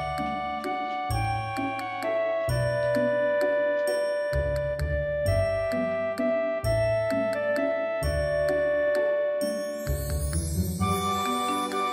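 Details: A bright chiming tune like a music box or glockenspiel plays throughout over a steady bass, with no animal heard.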